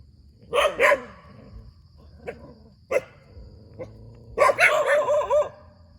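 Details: Dog barking next to a rubber plantation: two quick barks, a pause with a few faint short yaps, then a rising, wavering run of barks that trails into a whine-like tone.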